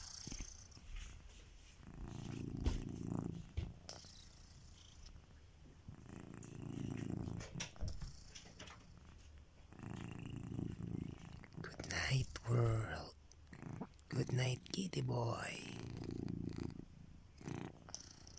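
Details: Soft rhythmic snoring from Kitiboy, a sleeping pet cat: low rumbling breaths recur every four seconds or so, and several louder rustling and knocking noises come in the second half.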